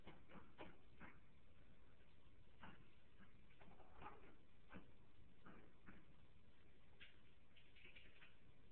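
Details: A Maltese dog barking at its own reflection in a mirror: a string of short, sharp yaps scattered irregularly across the recording, some in quick pairs, with low background rumble indoors.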